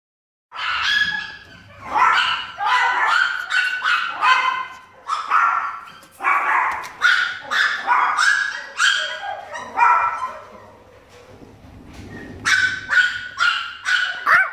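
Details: A happy blind Chihuahua at an animal shelter barking and yipping in quick runs, sharp high barks in bursts of three to five with short pauses, some softer whining notes between.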